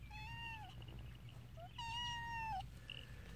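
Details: A female Siamese cat gives two drawn-out, soft meows with a slight rise and fall, when asked if she wants a bike ride in her basket.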